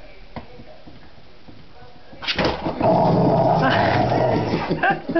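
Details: Rottweiler that dislikes an office chair: after two quiet seconds, a sudden loud burst of rough, continuous growling and barking begins and carries on to the end.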